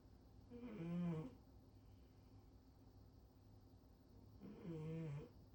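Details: Snoring from the female cat Rincharo, lying belly-up on the refrigerator: two drawn-out, throaty snores about four seconds apart, low and rasping, with near silence between breaths.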